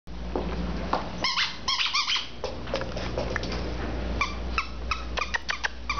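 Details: Female terrier mix indoors making a run of short, high squeaky yelps in quick bursts, some rising and falling, over a steady low hum, with a woman praising the dog.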